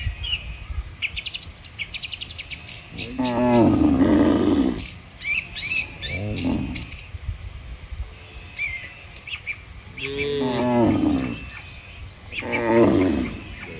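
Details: A herd of dozens of cattle lined up on a road, calling the herd to go home to the barn. Four drawn-out, rough moos come at irregular intervals, with frequent high bird chirps between them.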